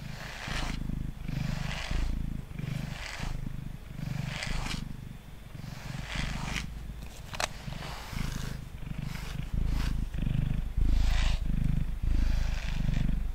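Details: Mango, a male cat, purrs loudly while sitting on a table being brushed. A strong, pulsing low rumble rises and falls with each breath, about every second, and brisk brush strokes sweep over it.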